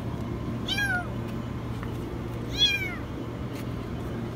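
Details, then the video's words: High-pitched meows from a kitten stuck in a washing machine: two sharp, arching cries about two seconds apart over a steady low hum. "Kitten stuck in the washing machine meow very high"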